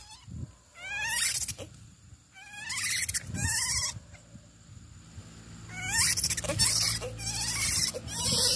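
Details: A siamang (Symphalangus syndactylus) calls with loud rising whoops in bursts, broken by harsh, shrieking barks.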